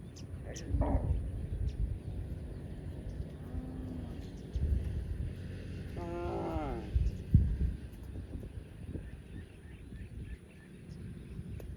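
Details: Cow grazing in a field, giving two short moos: a faint low hum, then a louder harmonic call that slides downward, over steady low wind rumble and rustling.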